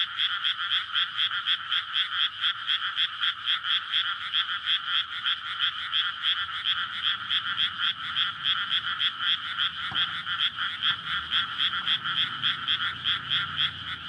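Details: Frog chorus at night in May, courtship in a flooded rice paddy surrounded by housing in Japan, recorded on a SONY PCM-D100; dense rapid croaking pulses, several per second, layered into a continuous throbbing wall, faint low traffic rumble beneath.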